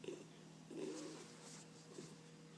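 A sleeping Bull Terrier snores in soft, rough, low breaths, with a faint steady hum behind it.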